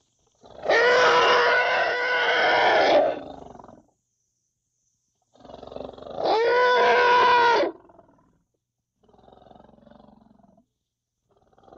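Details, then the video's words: African elephant calf giving two long, loud, harsh trumpeting squeals, each about two seconds, with a rich tonal core and a slight rise at the start, followed by a faint low rumble. "how to litile elephant sounds |african litile elephant"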